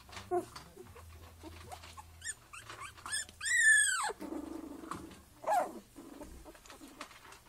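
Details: Three-week-old black Miniature Schnauzer puppies from a litter born 29 January 2014 give a run of short rising whimpers, then one long loud squeal bending downward and a later brief whine, over a low constant hum.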